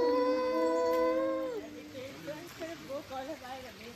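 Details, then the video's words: Wolf howling near Golden, Canada: one long, steady, clear tone that falls away at the end after about a second and a half, followed by a person speaking. "Wolf and howling"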